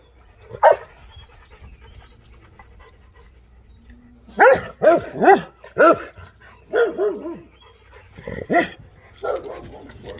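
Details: Rottweiler confronting an armadillo that came by to challenge it; a few sharp single barks, then a burst of quick, loud, harmonic barks in clusters of two or three, with quiet pauses between.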